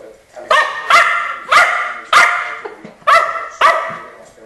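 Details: Keeshond dogs Charlie and Fiffi barking in a quick series, six loud harmonic barks spaced roughly half a second apart, each sharp at onset and tapering off.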